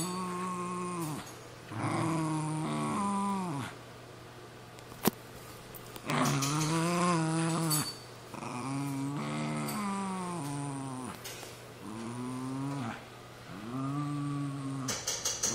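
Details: Two pet terriers, a Cairn Terrier and a Jack Russell Terrier, tussling over an old golf glove: bouts of rising-and-falling growls lasting one to two seconds each, separated by short pauses, with a sharp knock near the middle.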